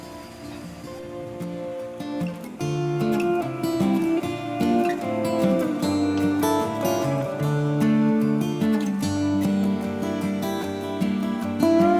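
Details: Strummed acoustic guitar music plays throughout, with no animal calls heard.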